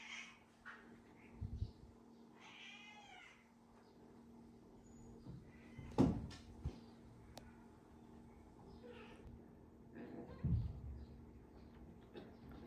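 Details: Rescued kitten cuddling with the big cat Tony as it would with a mother cat, indoors; a short, quiet harmonic meow near the start and a fainter one later, with soft thumps and low background hum.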